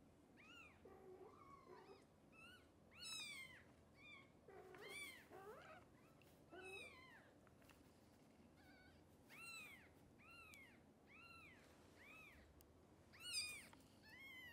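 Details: Many hungry kittens, nursed by Xaxa, whose milk falls short, cry while waiting for formula; a dense string of overlapping high arched meows from several kittens, some lower mews, continuing steadily for fifteen seconds.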